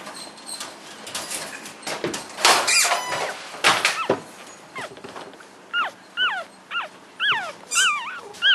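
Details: English Cocker Spaniel puppies seven days old; after a stretch of rustling and handling noise, high squealing whines with rising-then-falling pitch come in short bursts, about one per second.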